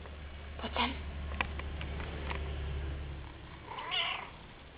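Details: A cat giving two short meows, one near the start and a slightly longer, wavering one near the end, over a steady low electrical hum and faint tapping.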